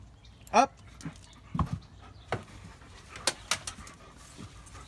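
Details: Odin, a German Shepherd, on the way to visit Samson at his house: one short, rising, high-pitched whine near the start, then scattered soft dog noises, clicks and thumps, with a quiet human voice in the background.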